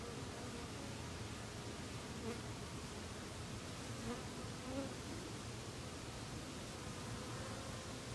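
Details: Italian and Carniolan western honey bee workers gather pond water on lotus leaves, later spat onto the hive for evaporative cooling in warm weather; a continuous low droning buzz with faint brief tonal whines over steady background hiss.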